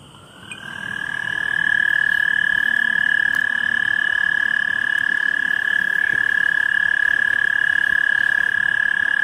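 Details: Common tree frog calling at night: a steady, high-pitched, rapidly pulsed trill that swells in over the first two seconds, then holds unbroken at full strength to the end, with faint background noise beneath.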